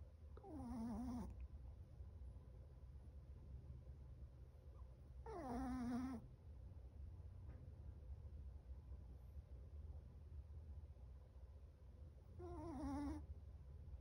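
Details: 7-month-old Chihuahua Chocolate snoring hard while asleep, three nasal, whistly snores with a falling tone at uneven gaps of several seconds, over a steady low-pitched hum.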